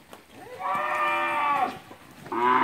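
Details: Heifers and cows in a herd at Capira, August 2016: two moos with stacked harmonic bands, the first long and level for about a second, the second starting near the end, over soft background noise.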